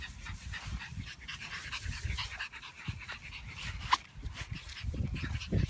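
Young French Bulldogs make a busy run of breathy panting, snorting snuffles and short low grunts. The sounds come in uneven, rapid bursts with a few sharper huffs, over a soft background of scuffling.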